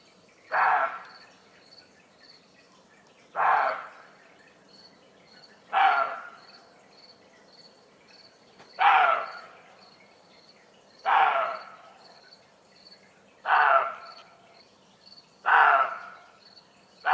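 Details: At 1:30 am in Germany, a startled roe deer gives hoarse, rasping alarm barks about every two to three seconds, likely unsettled by humans or animals, while crickets trill steadily underneath.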